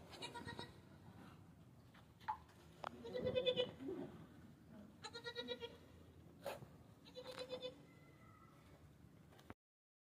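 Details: Domestic goat giving birth to twin kids on a farm, bleating during delivery: several drawn-out, nasal bleats of about half a second each, spaced a few seconds apart, with rustling, short knocks and faint human voices between them.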